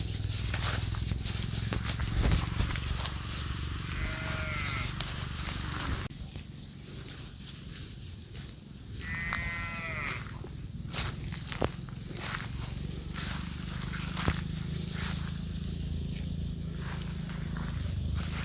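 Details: A cow running through an oil palm plantation gives short, hoarse bawling calls as she looks for her calf.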